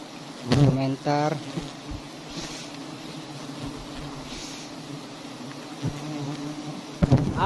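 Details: Honeybee colony of very large nests on a palm-garden tree humming low and continuously, as a man speaks briefly at the start and again at the close.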